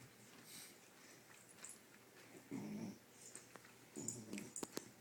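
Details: Sugar, a female beagle who never barks, uses grunts and squeaks to get what she wants: two short, low, rough grunting bursts, the second followed by brief squeaky sounds, with light clicks in a quiet indoor room.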